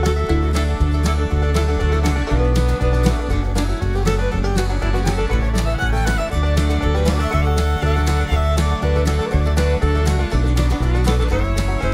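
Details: Lively bluegrass fiddle and guitar music fills the whole stretch with a steady beat and no animal voice.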